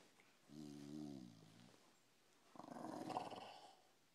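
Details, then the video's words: A dog snoring: a tonal, buzzy inhale with stacked even overtones, a short pause, then a rougher, breathy, noisy exhale lasting about a second, in a quiet indoor setting. "Snoring dog"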